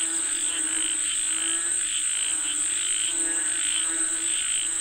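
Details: Many frogs croak together in a rain-calling chorus, rough pulsed notes rising and falling in loose bursts, backed by an even, thin high whine.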